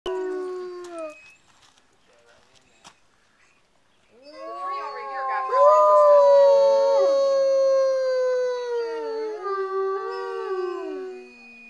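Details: Gray wolves on a wolf tour in Palm Springs, California, howl in long, smooth, sliding tones, several voices overlapping into a chorus after a brief opening howl.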